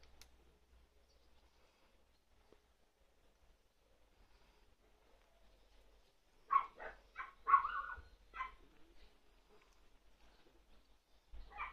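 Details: An 88-day-old male long-coat Chihuahua puppy, black-tan and white, in Fukuoka on 13 May, gives a quick run of high, sharp yips after a quiet start.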